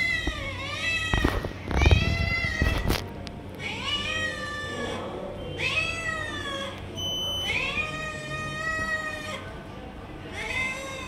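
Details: A run of loud, plaintive meows, about five in eleven seconds, each a long harmonic cry that swoops upward then levels off, from Tiger Cat as it steals food from other cats. Bursts of rustling and thumps near the start.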